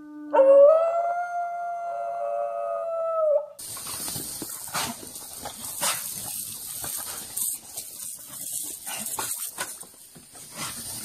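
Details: American Bully dog howling: one sustained, steady, tonal howl with rich harmonics that holds level for about three seconds. It cuts off abruptly into loud, hissy broadband noise and clatter for the rest.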